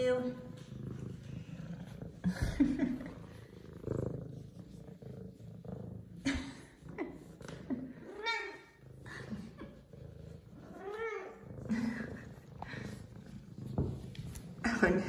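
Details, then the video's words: Zara, an F2 Savannah cat, purrs and meows in excitement at seeing her owner again. A low rumbling purr runs underneath several drawn-out arched meows, with a woman's cooing voice breaking in between. "F2 Savannah Cat Zara Meows And Purrs Because She Missed Her Daddy!"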